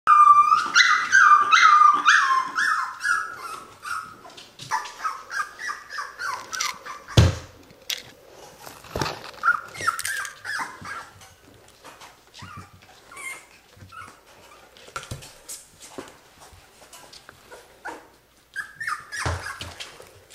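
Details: Cocker Spaniel puppy named Mocha giving a rapid run of high, whining yelps that slide downward, loud at first and then thinning into scattered softer whimpers, with a few sharp knocks and thumps nearby indoors.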